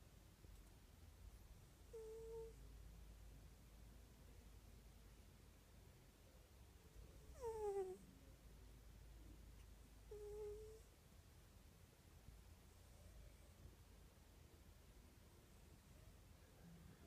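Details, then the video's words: Morris, a pet cat, snoring indoors: three faint, thin whistled tones come about every three to five seconds. One sweeps steeply downward. A low steady hum runs underneath. "morris roncando o algo asi"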